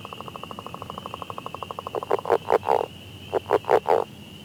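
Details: A frog in Ottawa County, Michigan, calling in spring, gives a rapid string of clicking pulses, then louder, drawn-out croaking notes.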